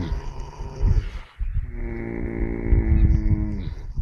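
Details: Four horses asleep on a sunny early morning. A brief breathy rustle is followed by a steady, deep, resonant snore lasting over two seconds.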